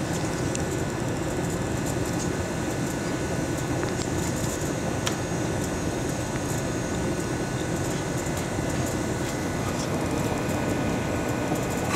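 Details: Steady broadband rumble like machinery or a passing vehicle fills the scene, with faint scattered clicks and no animal voice.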